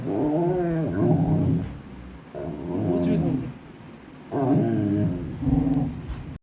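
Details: A Golden Retriever, while playing, gives low, throaty growl-moans in three drawn-out bouts, each wavering up and down in pitch.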